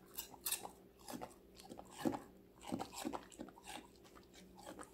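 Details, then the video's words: Female Golden Retriever puppy, five months old, munching assorted vegetables indoors; sharp crunches and wet chewing bites come roughly every half second, uneven in strength, over a faint constant room hum. "강아지 각종야채 먹방 l 사각사각사운드 🌿Various vegetavles🌿REAL SOUND"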